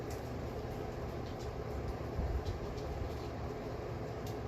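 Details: Constant low rumbling like a passing vehicle, with a few faint clicks and a high electronic whine, but no animal call.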